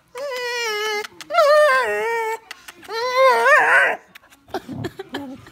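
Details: A Vizsla overjoyed at getting kisses from her owner whines in three long, quavering bursts, the pitch sliding up and down like a yodel. Soft smacking sounds and a brief human voice follow at the end.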